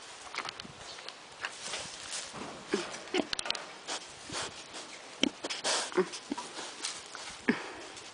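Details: A pig gives short, breathy grunts and snuffles in irregular bursts; finding: pig (Sus scrofa domesticus).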